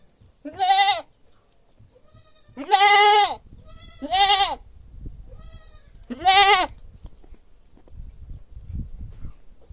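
A goat bleats loudly four times, each call a nasal, quavering cry lasting about half a second.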